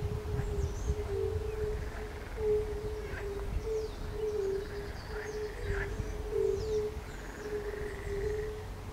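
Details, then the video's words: Mixed frog and fire-bellied toad chorus by the palace pond in Bukowiec near Jelenia Góra, Western Sudetes, 20 May 2019: overlapping low mellow toad notes pulse steadily, under scattered croaks and twittering bird song throughout. "Koncert żab i kumaków"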